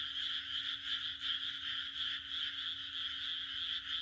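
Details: A dense chorus of frogs on a June night in the Japanese countryside, their high, pulsing croaks merging into one steady trill.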